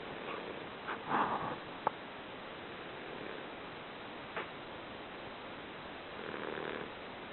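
An English Bulldog snores softly, with rough, rasping breaths spaced several seconds apart.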